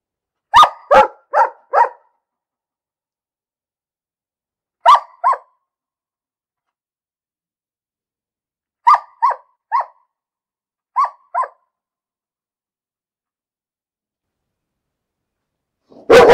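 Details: Barking dog giving short clusters of sharp barks, first four quick ones, then pairs and a group of three separated by long silent gaps of several seconds, with one more bark starting at the very end.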